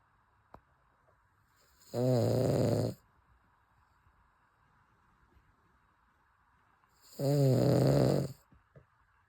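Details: Cavalier King Charles Spaniel named Chappy snoring while asleep indoors: two rough, harmonic snores about a second long, spaced about five seconds apart, with quiet breathing pauses between.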